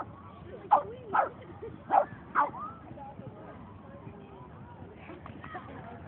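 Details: Boston Terrier barking at a dog run on 22 May 2011: four short, sharp barks within the first two and a half seconds, followed by quieter background with faint squeaky tonal sounds.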